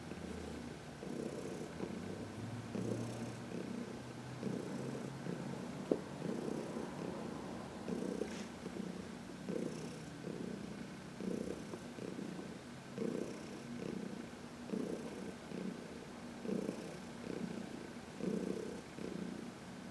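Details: Heidi, a 14-year-old senior cat adopted in 2019 from the Humane Society of New York City, purrs in contentment while massaged in the sun on March 19, 2021; low rumbling pulses swell about every two seconds with each breath.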